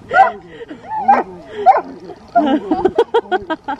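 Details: Dobermann named Roman, excited at night in a deserted park on meeting his brother after ten days, wearing an LED collar: high wavering whines rising and falling, then a quick run of short sharp barks about four per second.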